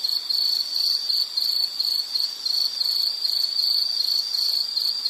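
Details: Shrill insect trill in a calming nature recording, a bright cricket-like chirp repeating in quick even bursts at one fixed high pitch, with faint overtones above and no other animals heard.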